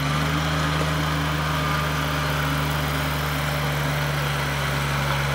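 A steady idling engine hum fills the clip, with no animal sounds heard.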